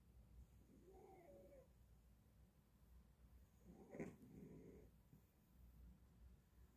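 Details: Sleeping cat snoring indoors: two soft, breathy rasping snores about three seconds apart, the second louder and longer, over a quiet low room hum.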